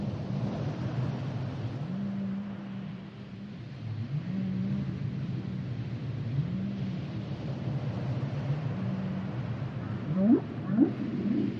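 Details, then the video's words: Low, drawn-out humming tones from a humpback whale, held briefly at a steady pitch and repeated several times. Near the end come a couple of sharp rising whoops, all under continuous low-frequency sea noise. "Sounds and Songs Of The Humpback Whales"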